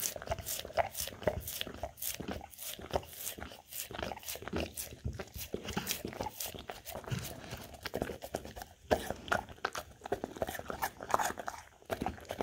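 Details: Golden Retriever eating from a charcuterie snack board of peanut butter, apples and blueberries indoors, recorded on a Samsung Galaxy S10e phone; dense wet licking and smacking with quick crunchy bites all the way through, in a small quiet room.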